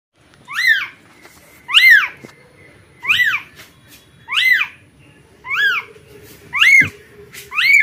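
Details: Newborn kitten calling for its mother cat: high, arched mews rising then falling, strongly harmonic, repeated roughly once a second, seven cries in a row in a quiet indoor setting.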